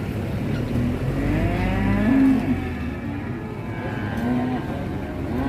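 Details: Big agitated cattle coming down off a truck: short low moos around two and four seconds, mixed with rumbling background noise and faint music.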